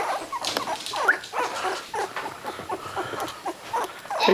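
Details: Three-week-old puppies with eyes newly open give thin, high squeaky whimpers and short yips, several overlapping in quick irregular bursts through the whole stretch.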